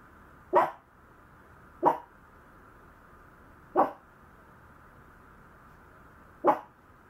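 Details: Maltese puppy giving four short, sharp barks, each a single clipped burst, spaced one to three seconds apart over a quiet indoor background.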